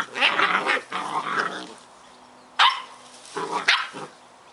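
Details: Scottish Terrier puppies Bonnie and Basil playing and having fun: rough, harmonic growling barks in bursts, one long spell, then a quiet gap, then sharp single barks near the end, indoors with low background hum.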